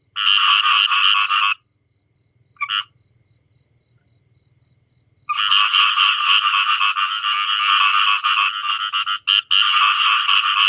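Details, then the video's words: Frogs, described as many, give a harsh pulsed croaking. A short burst opens, then a single brief croak, then a near-silent gap, before a long unbroken rattling chorus fills the rest. "Sound of many frog"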